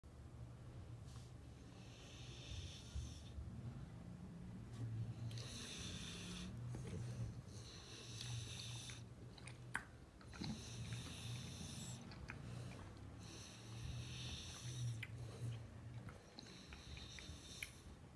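A French Bulldog snores loudly, with rasping breaths about every three seconds.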